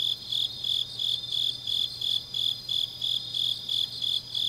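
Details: Night insects singing in the grass during late autumn in Changnyeong, Korea, with regular high-pitched chirps about three a second layered over a constant ringing background and a soft low drone.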